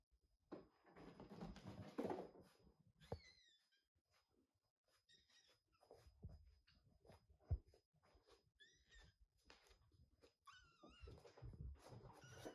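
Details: Rescued kitten meowing while chasing after a person, wanting to play; several short, high, wavering mews scattered through the clip, with footsteps and rustling in a small indoor room.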